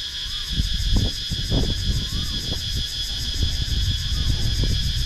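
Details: Cicada chorus in countryside woodland at Sakon Nakhon, Thailand, GoPro Hero 9 recording: constant piercing buzz holding steady, partly covered by frequent low rumbling bumps and handling noise, with a soft rising-falling whistle heard twice.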